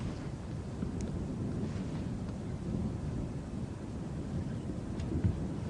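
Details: Steady low wind and vehicle rumble fill the recording, with faint scattered ticks and no animal voice.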